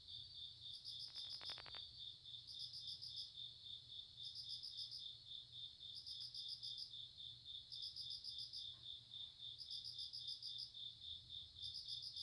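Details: Grass insects calling: a constant shrill high-pitched drone broken by short bursts of fast pulsed chirping repeated about every second and a half, with a brief clatter early on and a low steady hum beneath.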